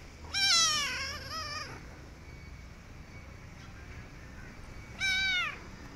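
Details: Rescued kitten meowing after her rescue: a loud, drawn-out harmonic meow falling in pitch, then a second shorter meow about four seconds later, with low background rumble.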